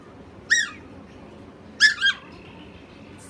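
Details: Peanut, a Chihuahua known for "talking", gives two loud, high, yelping vocal bursts about a second apart, the second one broken into a quick double. A low indoor hum runs underneath.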